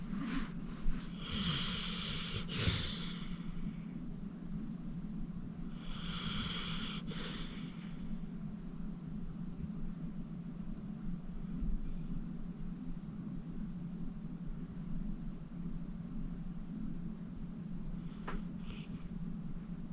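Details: Senior pit bull Acorn, 14 years old and rescued from the Cuyahoga County Animal Shelter, sleeping soundly indoors. Raspy snoring breaths return roughly every five seconds above a constant low droning hum, with the later breaths fainter.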